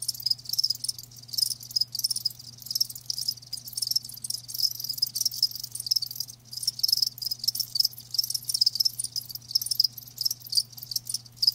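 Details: Live crickets chirping in a steady, dense chorus, a bright high band of rapid pulsed chirps overlapping continuously with uneven loudness, and a faint low hum underneath.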